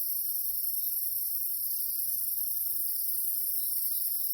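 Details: Night insects in the Jamaican countryside under moonlight make a steady, high-pitched shimmering drone, continuous with no pauses.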